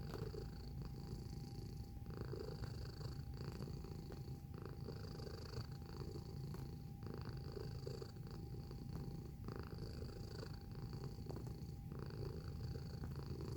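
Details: Close-range purr of a house cat: a continuous deep rumble beating in breath cycles about every second for the whole stretch, with a quiet steady whine in the room.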